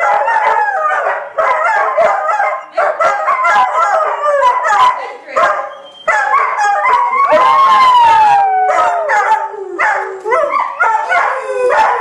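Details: Three pet dogs, Bob, Bobbie and Baby, howling together indoors after one starts and the others join in; dense overlapping wavering howls and yelps throughout, with long sliding tones that rise and fall, sustained for the whole stretch.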